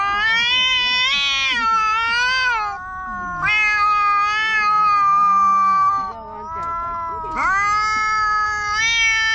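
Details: Two black stray cats in a park quarrel loudly: long, drawn-out wailing yowls, each several seconds, rising and falling in pitch with strained, nasal tone, overlapping and alternating, faint lower murmurs underneath.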